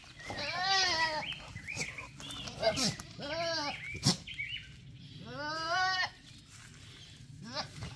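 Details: Male goat bleating in a comic, talking-like way: three drawn-out harmonic bleats, the first and last wavering, with short clicks and thuds between them.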